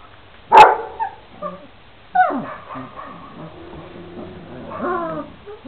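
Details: Šarplaninac puppies, 26 days old, from a litter of three males and five females: one sharp bark, then scattered short whines and yips at uneven intervals, with quieter overlapping whimpers toward the end.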